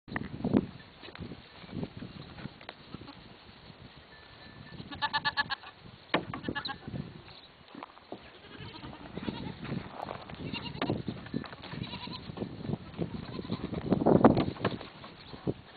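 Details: Goats playing in a pen shared with other farm critters: short wavering bleats with stacked harmonics near five, six and ten seconds, amid thumps, rustling and scuffling from the animals moving about.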